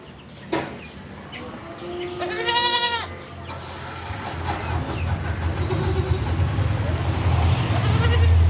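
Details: Beetal goat at a farm in Roorkee gives a single quavering nasal bleat, then a low rumbling background noise grows steadily louder.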